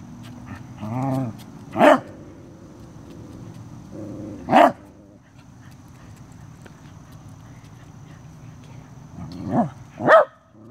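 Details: A Corgi faces a stink bug, giving a soft low whine followed by four loud, sharp barks spaced several seconds apart, the last two close together, over faint background hum.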